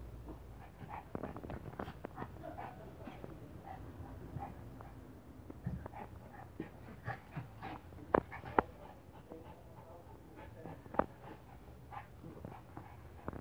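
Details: Shih Tzu named Junior in a playful mood, playing with Aladin; soft, rapid, irregular panting-like puffs and snuffles, about two per second, over a steady low indoor hum with an occasional sharper click.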